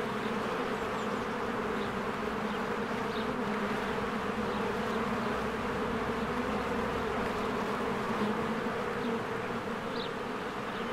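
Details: Swarms of honeybees at a hive in spring, flying in and out while flowers bloom; continuous layered buzzing hum, low and even, with individual bees zipping past now and then and faint distant bird notes above.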